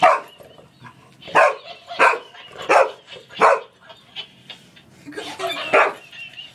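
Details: English Springer Spaniel wrestling with a toy monkey that laughs at him; sharp, loud barks in uneven bursts, about seven over six seconds, with quieter yips and snuffles between.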